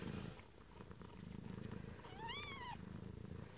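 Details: Newborn kitten in its den with its mother, giving one short, high mew that rises and then falls, set against a steady low rumbling background.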